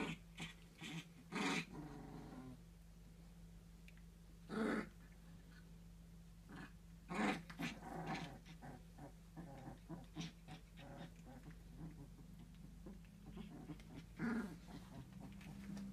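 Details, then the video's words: Three-week-old fox red Labrador Retriever puppies at play, giving short growls and yips in bursts spread across the recording, each a second or less, over a constant low hum. "Fox red Labradors 3 weeks old playing"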